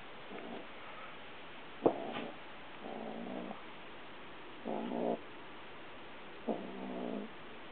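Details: Pet cat growling quietly while carrying a cat toy in its mouth and walking around, though no one is trying to take it; low rumbling growls in bursts of about half a second, repeated four times with short gaps.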